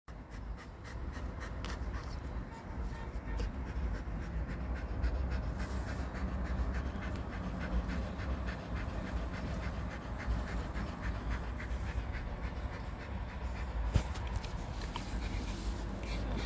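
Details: Jindo dog lying collapsed and exhausted after coming back from a walk, panting in quick, soft, even breaths over a low background hum.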